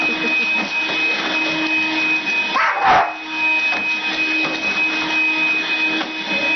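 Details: A house dog, female, goes after a vacuum cleaner as it runs. One loud, bright bark rises midway through, surrounded by the machine's constant droning whine.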